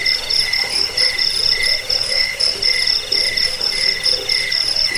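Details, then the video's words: Cricket (jangkik) recording offered for repelling rats, lulling to sleep and tutoring songbirds: high, pulsed chirps repeated about four times a second in a steady rhythm, with a fainter lower band beneath and a dense insect hum throughout. "Suara jangkik pengusir tikus pengantar tidur"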